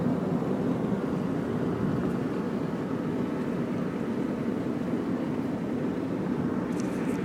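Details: An outdoor rumble of passing traffic and aircraft engine noise continues throughout, with faint voices in the background.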